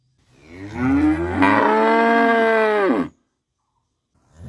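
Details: Cow mooing during the daily routine of a village in Bangladesh: a single drawn-out bellow that swells quickly, holds steady and strong for nearly two seconds, then drops away abruptly into silence.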